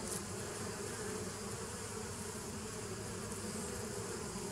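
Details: Bee colony hum recorded 27 September 2018 from a 2017 nuc: a brief bright burst at the start, then an even, sustained buzzing drone.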